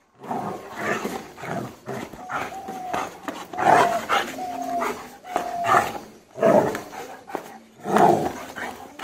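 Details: German Shepherd trained for aggression: harsh, broken barks and growl bursts come roughly every one to two seconds, some with a brief tonal whine, against a noisy background.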